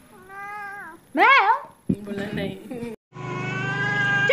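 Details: Two-year-old male pet cat, described as angry by nature yet loving, gives a steady drawn-out meow, then a loud wavering yowl and a rougher cry, followed by a sustained tonal sound with music in the background.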